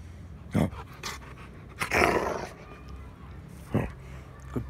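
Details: A 6-month-old Rottweiler, filmed in February 2021 in nice weather while playing, gives several short, rough barks with a growly edge, spaced irregularly between brief human speech.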